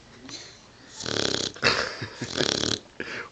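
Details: Mastiff and Pit Bull mix puppy asleep, snoring loudly like a man: rough, rasping snores in two long bursts with short snorts between, and a person calling to it to wake up.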